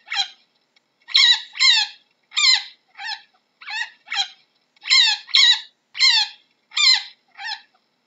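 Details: Chinchilla repeating harsh, harmonic squeaks that drop in pitch, mostly grouped in twos, around twelve notes in eight seconds, with nothing else audible.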